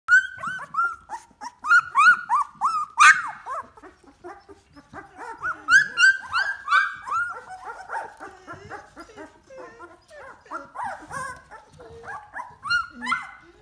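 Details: Two-week-old Golden Retriever puppies of one litter, already moving about on wobbly legs in the whelping box, whine and squeal together in thin, rising and falling cries.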